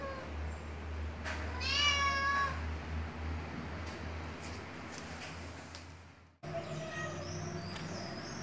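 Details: Siamese cat meowing: one drawn-out, wavering, harmonic-rich meow lasting about a second, followed after a cut by fainter short mews, over a steady low hum.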